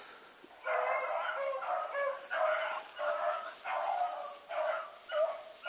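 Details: Pack of Bluetick Coonhounds running together, joined by a small white female named Sassy. Rough, harmonic baying bursts repeat about every second, with a steady high insect drone behind them.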